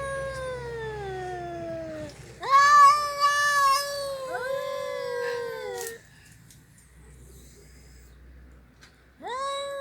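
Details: Housecat, Mickey or the red cat, yowling in a series of long, harmonic meows. A falling wail is followed by louder wavering cries with sharp onsets, a pause of quiet, then another rising meow.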